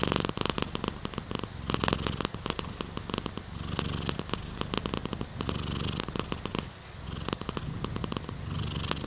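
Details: Purring domestic cat heard very close, a vibrating, throbbing rumble broken into breath-length surges of one to two seconds, steady in volume.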